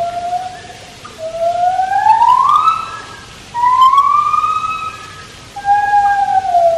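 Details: White-handed gibbon song at Taipei Zoo: long, loud, smooth whoops that glide upward and then sag, three drawn-out phrases each lasting about two seconds, clear above quiet background noise.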